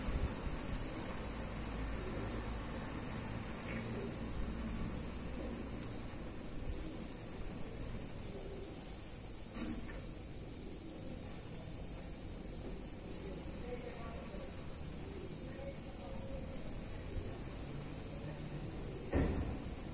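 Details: A warm summer day in an Italian town, with cicadas filling the air in a continuous shrill, hissing chorus that never pauses. A few sharp clicks break in now and then, and a soft low hum runs underneath.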